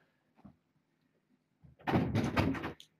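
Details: A few soft knocks in a quiet room lead to a burst of rattling thuds, like a sliding door or cupboard being handled.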